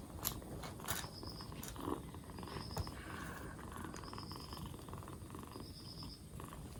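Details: Black Bombay kitten, two months old, purring four days after being rescued as it recovers from a cold; continuous low buzzing rumble throughout, with brief taps and a faint high tone repeating at intervals.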